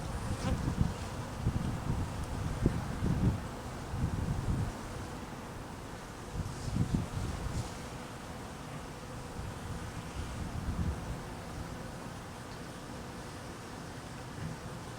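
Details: Honey bees buzzing in cold weather, hungry and being fed; a dense low hum with louder pulsing swells every second or so in the first half, then settling into a steadier drone, with faint wind noise.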